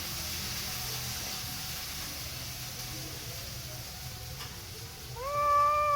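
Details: A cat gives a single short meow near the end, a clear rising tone that then levels off, after several seconds of quiet room hiss.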